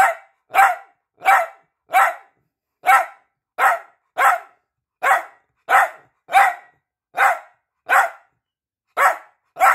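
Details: Peanut, a piebald Dachshund, barking to get attention: sharp, loud barks repeated steadily, about one every half second to second, fifteen in ten seconds, with no other sounds.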